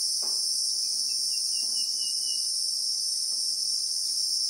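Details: Christmas beetle (Anoplognathus) chorus in South African bushveld with acacia trees: an intense, level high-pitched buzz, a brief faint whistled trill early on and a couple of soft knocks.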